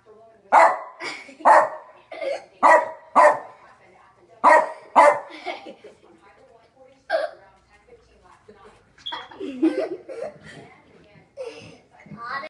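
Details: Small dog barking indoors at a kitten playing with its tail while the dog drinks; a quick series of sharp barks over the first five seconds, then sparser barks mixed with people talking and laughing.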